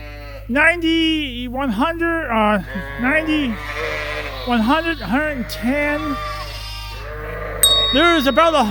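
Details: Suffolk lambs crowded into one group in the barn at Ewetopia Farms call in rapid, arching bleats, many voices overlapping in quick succession, with a low hum throughout.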